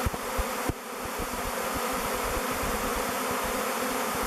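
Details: A swirling mass of bees choosing the log hive Bee Beard, flying and waggle dancing before descending on its face; an unbroken droning buzz with a few sharper low taps near the start.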